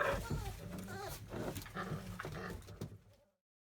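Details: Field-type Labrador Retriever puppies, 31 days old, playing indoors, climbing over a cushion and whelping box: a series of short, high, wavering whines and squeaks in quick succession over low thumping and rustling, ending abruptly in silence.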